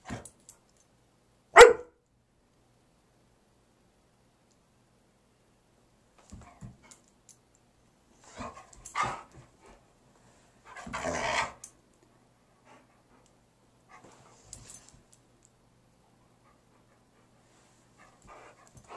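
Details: Gracie, an 11-year-old female husky mix dog, barking at nothing during a wacky spell: one loud sharp bark, then after a long quiet gap two softer, rougher barks close together, with faint rustling between.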